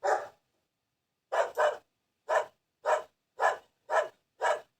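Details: A single bark, a pause, then a quick double bark followed by a steady string of loud, clipped barks about half a second apart.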